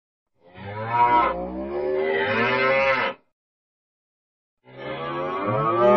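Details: Cow. Cattle moo here in two drawn-out calls, each rich and throaty, rising and holding before breaking off. A second of silence separates the first bellow from the next.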